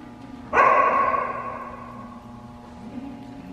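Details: A dog barks once, unrelated to the event, during a C-WAGS scent detection trial in Fraser, Michigan. The single loud, harmonic bark rings on with an echoing tail over a steady low hum.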